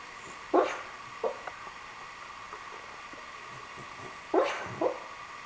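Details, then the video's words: A sleeping Cavalier King Charles Spaniel named Riley, caught mid-dream, lets out two short pairs of stifled yips about four seconds apart, the rest of the moment hushed. "snoring cavalier king charles spaniel"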